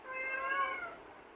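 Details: Kitten in a cage pleading to be let out, one long wavering harmonic meow lasting about a second, indoors, with a woman's Tamil speech just before and after.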